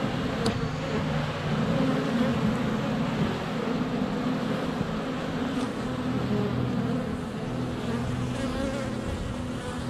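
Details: At a hive entrance in February sunshine, honey bees swirl around a GoPro Hero 7 Black placed under a foot away, giving a thick continuous buzzing hum with a few sharp ticks as bees touch the camera.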